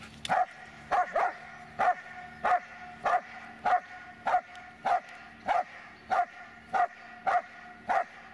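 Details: Rhythmic barking from Dobermann Magmar Von Der Burgstätte: thirteen crisp, evenly spaced barks, roughly every 0.6 seconds, each a short punchy burst with no other clear sounds.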